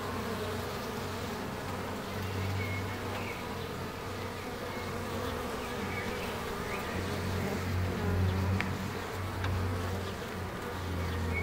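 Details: Bees in Ebersberg, giving a steady low droning hum with layered tones that swells and fades over several seconds. Faint high chirps and clicks sound in the background.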